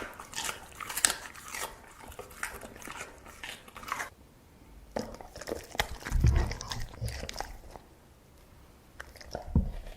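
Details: Crunchy bites and wet chewing from an eating dog, dense at first, then a brief lull before more chomping and a few heavy low thumps.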